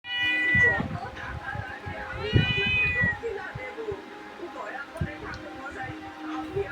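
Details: Household pet cat giving two drawn-out, tonal meows, the second rising then falling, while people talk and background music plays.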